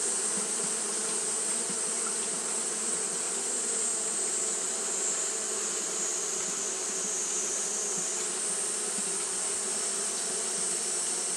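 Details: Continuous wing-fanning hum from Japanese honey bees on a hot day, even and droning with stacked low tones, a faint flutter in loudness, and a persistent bright hiss above.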